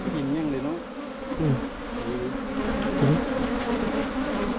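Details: Asian honey bees buzzing during a 2022 wild honey hunt in rural Thailand: a steady, low droning hum holds throughout, with a few brief men's voices breaking in.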